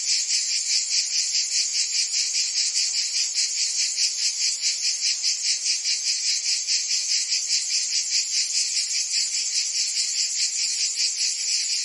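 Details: Cicadas singing in summer in Provence, France: a dense, continuous buzzing chorus, high and harsh, pulsing steadily about two to three times a second with no break, no other sounds standing out.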